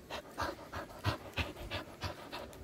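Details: Pet dog panting in quick, rhythmic breathy bursts, roughly three or four puffs per second, each a short broadband rush of air, steady throughout with no voices over it.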